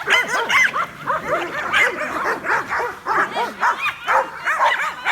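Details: Dogs looking up at a flying drone react with excitement and confusion. A steady barrage of overlapping barks, about two per second, with shrill yips layered over deeper barks.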